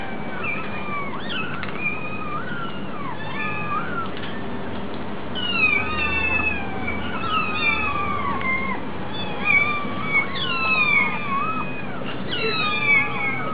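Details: Kitten begging from hunger at a cat cafe, a long run of insistent meows, short rising-falling wails tumbling over one another, busiest in the second half, above a low background drone.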